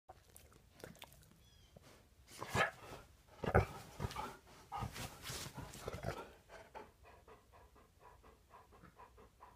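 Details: Ten-year-old Golden Retriever eager to play first thing in the morning indoors: quick, breathy panting repeated about once a second, with louder rustling and movement bursts in the middle.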